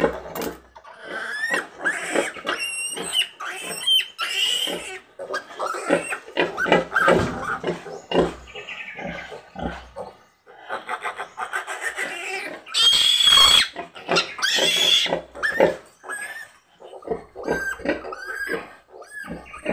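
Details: A sow giving birth on a pig-raising farm, with ten piglets born. Dense, shrill squeals and grunts overlap in rapid bursts, with some louder high-pitched shrieks and occasional human voices.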